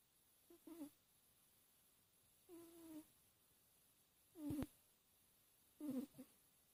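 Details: Domestic cat snoring while asleep indoors: four short, raspy, tonal breaths, each about half a second long, coming roughly every one and a half to two seconds over a quiet background.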